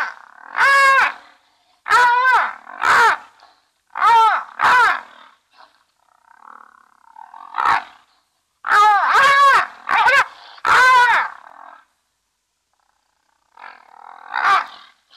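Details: Brown hyenas, three together at Safarihoek Lodge beside Etosha National Park in northern Namibia, recorded by a live-stream camera: repeated loud, rasping squeals and yelps in clustered bursts of two or three, with short quiet gaps and softer calls between.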